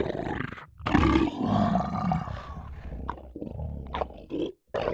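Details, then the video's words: Low, rumbling lion growl that runs almost continuously, rough and throaty, broken by a few sharp clicks and brief pauses toward the end. "Best Lion Sounds of 2022"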